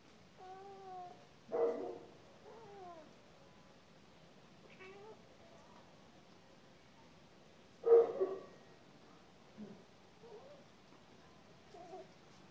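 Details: Cat giving scattered short meows and chirps between two loud bumps, quiet stretches in between, low background hum.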